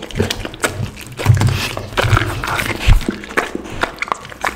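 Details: Pit bull chewing raw chicken, duck and cauliflower at lunchtime. Irregular crunches and heavy low thuds of bites, with softer wet smacking between them.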